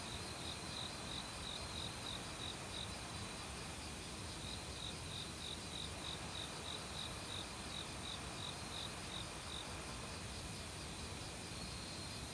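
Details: Autumn crickets chirping in a forest at night, mingling with other insects; short bright pulses repeated about three times a second in bursts, over a steady high insect drone and the broad rush of a valley stream.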